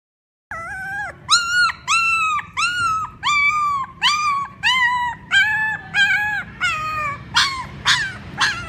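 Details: Puppies crying for their mother: a clear series of about eleven whimpering cries, each a bright, slightly falling wail, repeated roughly every two-thirds of a second and growing hoarser toward the end over a faint low hum.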